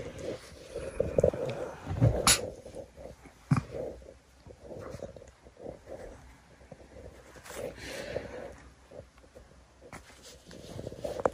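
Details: A Shih Tzu puppy playing tug-of-war makes low, rough play growls and snorts in short bursts, with scattered bumps and knocks; Shih Tzu.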